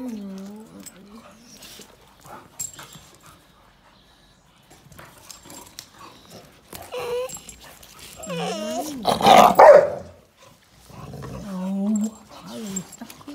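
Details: Oliver, an 11-year-old American Pit Bull Terrier, yelling at younger housemates (a 2-year-old American Staffordshire Terrier and a 4-month-old Cane Corso puppy) in a backyard during covid lockdown: wavering, drawn-out harmonic moans rising and falling, with a louder rough outburst midway.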